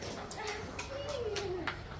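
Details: Husky out on an adventure, being treated by cafe staff, gives a soft tonal whine that rises, holds briefly and slides back down over about a second, with faint voices and background chatter around it.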